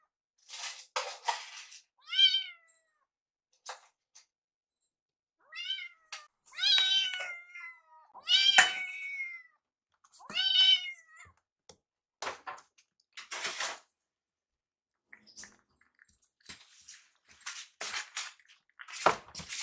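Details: On the night before two rescued kittens, Yuki and Piyo, leave foster care, shrill kitten meows come in a cluster of about six arched cries early on, followed by scattered tapping and rustling noises.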